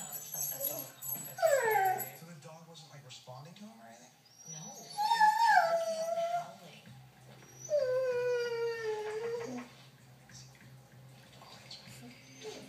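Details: Maya, a one-year-old female Doberman, cries on a porch because she wants to chase a lizard; three long, drawn-out whining howls, each sliding downward, separated by pauses with faint household sounds between.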